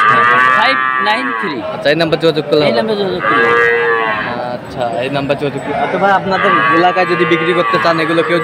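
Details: Sahiwal bull calves at Aftabganj market, 18 October: several drawn-out bawling moos, one near the start and others around the middle and end, mixed with voices and market bustle.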